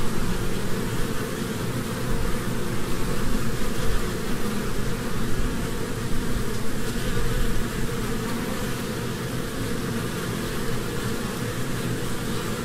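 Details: Spring honeybees moving between flowers produce an unbroken, even buzz for over twelve seconds, a low rough drone with barely changing loudness and no breaks.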